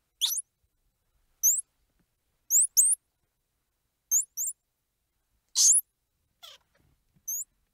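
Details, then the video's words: Squirrel monkey squeals and chirps: short, very high, hooked upward-sweeping chirps given singly or in quick pairs, spaced about a second apart, with one broader noisy squeal, over an otherwise silent background. "Squirrel Monkey Sound | Squirrel Monkey Squeals | Squirrel Monkey Noises | Squirrel Monkey Chirps"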